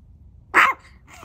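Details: Chihuahua named Cedric, a tiny pet dog indoors in a small room, giving a single short sharp bark about a fifth of a second long, with quiet room hum before and after.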